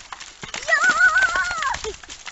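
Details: Three-year-old female Shetland pony, bridled and used to being ridden, gives a single whinny about a second long, a wavering harmonic cry that rises then trembles and falls away, among clattering hoof knocks and handling noise.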